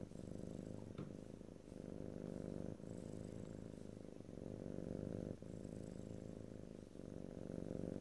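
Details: Steady low purr from a pet cat, rhythmic breath cycles about every two to three seconds with slight breathy hiss between, occasional faint clicks, quiet indoor setting without speech.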